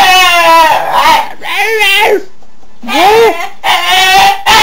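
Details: A pet dog making the funny non-barking sound he often produces out of the blue: wavering, harmonic whine-like calls, some long and level, others arching up and down, in bursts separated by short pauses.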